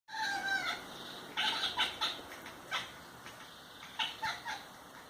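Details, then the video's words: Female pet cat, indoors, chattering excitedly on spotting a midge, fly, mosquito or bird: a wavering, yodel-like tonal call opens, followed by clusters of short, stuttering chirps in three bursts over five seconds. "Yodeling Cat. Cat Makes Weird Sounds."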